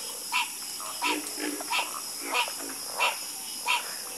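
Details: Chorus of frogs croaking: sharp, bright croaks repeat about every two-thirds of a second, six in all, over softer, lower croaks and a steady high background hiss.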